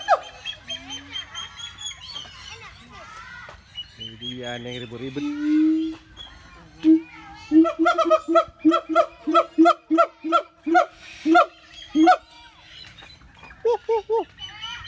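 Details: Siamang calling: scattered tonal hoots, then a loud rhythmic series of harmonic barks repeated about twice per second for several seconds, trailing into a few shorter notes, with chirping birds in the background.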